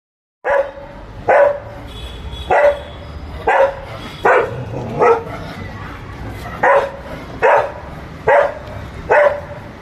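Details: Labrador Retriever, a fluffy pet dog, barking during play as someone urges it to catch and jump; short sharp barks about every second, ten in a row, slightly uneven rhythm, mid-pitched with a clear tonal core.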